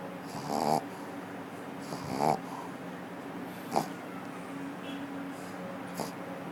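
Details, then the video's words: Pug, a female, sleeping and snoring while brought along to an office; soft rasping snores recur about every one and a half seconds over a steady low room hum, with a few faint clicks. "Pug Snoring at the Office"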